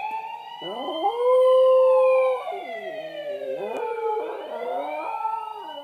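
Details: A West Highland White Terrier named Kyotofu answers an ambulance siren on the television with a loud sustained note, then wobbling, bending howls beneath the siren's slow falling wail.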